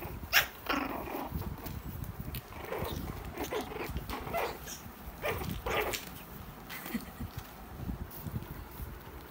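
A Shih Tzu puppy gives short, sharp yips and barks spaced irregularly across the recording.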